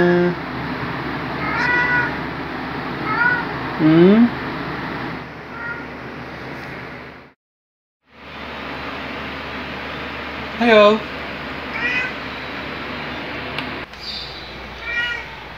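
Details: Black pet cat Luna, a male, gives his loud jolly wake-up greeting: a series of short, bending meows spaced irregularly, some sliding upward, with a brief silent break and a person answering with greetings in a small room.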